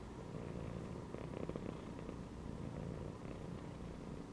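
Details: Cat lounging inside a gym belt keeps up a soft, deep, rhythmic purr, with a few faint clicks midway over the constant low throb.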